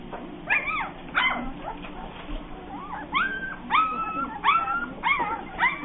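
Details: Bernese Mountain Dog puppies giving high, rising yips and whimpering squeals in irregular bursts about every half second, several voices overlapping over a steady low hum.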